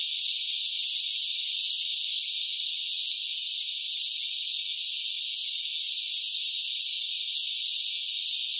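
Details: Cicadas in hot, sweltering summer weather give a loud, steady buzzing drone that fills the air without a break.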